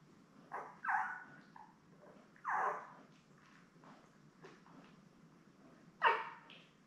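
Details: Newborn Labrador Retriever litter of seven, born May 24, 2021, resting with mother Belle on a live puppy cam. A few scattered, soft, downward-sliding whines spaced by quiet stretches, with one sharper cry near the end.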